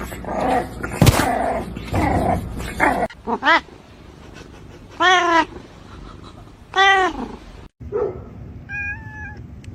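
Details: Kitten meows after a stretch of loud talking: three arched, rising-falling meows about one and a half seconds apart, then a faint higher tone near the end. Background hum throughout.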